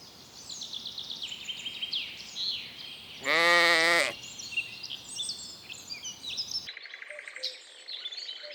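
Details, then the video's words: Lambs grazing in a green forest; one lamb lets out a loud, steady, harmonic bleat of about a second, set against continuous twittering birdsong before and after. "Cute little lambs graze in the cool green forest - Sounds of sheep bleating"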